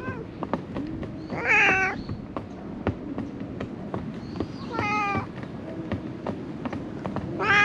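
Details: Stray cat living among rubbish discarded by people, giving three separate drawn-out meows, each harmonic and slightly wavering. A steady background hum and rustling fill the gaps between calls.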